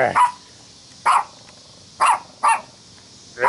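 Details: Dog at a Wilmette, Illinois party on July 25, 2015, barking at "The Devil Ant": five short, punchy barks, roughly one per second, with two coming close together near the middle.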